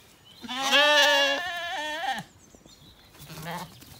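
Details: Zwartbles lambs, recently weaned, wandering and grazing in an orchard in County Kilkenny, Ireland, on an evening; one long harmonic bleat of nearly two seconds, wavering slightly, then a quieter shorter bleat answering after a pause.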